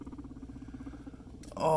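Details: Pet guinea pig Scruff during floor time, playing with a friend indoors: a low, rapidly pulsed rumbling purr that repeats steadily for over a second, then a burst of human voice.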